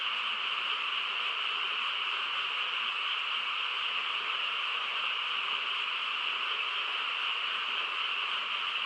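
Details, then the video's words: A chorus of frogs fills a still countryside night with a constant, even drone of overlapping calls, bright and high with a lower layer beneath, no gaps. "고요한 시골 밤에 개구리 합창 소리"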